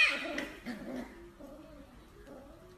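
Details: Corgi pup producing a thin, wavering whine that slides downward and fades, followed by quieter drawn-out whimpers.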